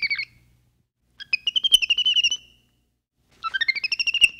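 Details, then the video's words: Capuchin monkey giving fast trains of high, pulsed chirps, about eight notes per second in bursts lasting over a second, separated by short silences; a brief high chirp opens the sequence. "Monkey Noises | Monkey Sounds | Capuchin Sound"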